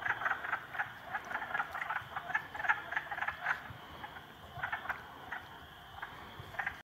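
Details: Frogs, three of them ganging up on a salamander, produce quieter rapid bursts of clicking, rattly croaks that come in clusters, then pause, then resume in a few scattered pulses.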